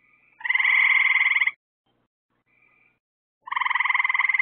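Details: Nighttime frog chorus by lights put out to attract bugs: two buzzy, rapidly pulsed trills over a second long, with a faint softer call between them.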